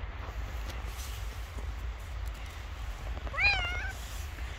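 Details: Homeless street cat facing tough days after the snowfall stopped, hungry; quiet low rumble, then one clear drawn-out meow that rises and gently falls, lasting about half a second near the end.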